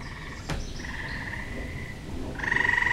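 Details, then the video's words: Tree frog calling in a backyard in spring: a long nasal buzzing trill held for about a second, then a louder pulsed trill starts near the end, with a sharp click early on. "Tree Frog Serenade"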